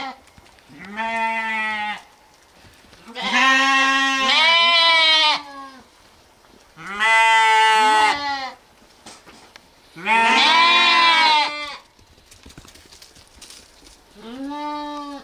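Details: Lambs or sheep bleating repeatedly, five drawn-out quavering cries, each one to two seconds long with short gaps between, some overlapping as more than one animal calls, in an otherwise quiet setting.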